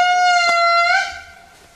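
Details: An indri, the largest lemur, in Andasibe Park, Madagascar, 2007, gives a loud, pure, horn-like wail that holds steady, then lifts slightly before fading, with tourists nearby.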